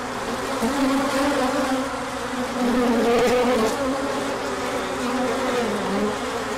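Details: Bees in a large orientation flight on a sunny day following colder weather: steady low buzzing chorus, louder for a moment midway as bees pass near, with brief higher wing whines gliding through the hum.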